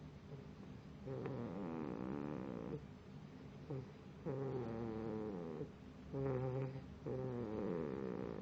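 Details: Pit bull puppy snoring while asleep: drawn-out, droning, harmonic snores with a wavering pitch, each lasting one to two seconds and broken by short breathing pauses, in a quiet room.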